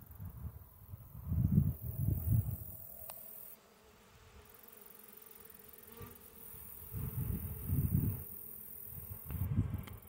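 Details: Honey bees in a bee yard feeding at a chicken waterer filled with 2:1 sugar water buzz low and droning, loudening in waves as they fly close, then fading.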